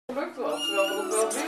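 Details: A young red tomcat, born 23 March 2011, gives a single drawn-out meow of about a second and a half that starts abruptly and holds a steady, rich, harmonic tone throughout.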